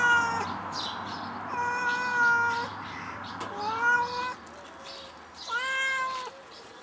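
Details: Pet cat stuck in a tree, calling with repeated meows about every two seconds, each a drawn-out harmonic wail, some rising at the start, with a low steady hum beneath.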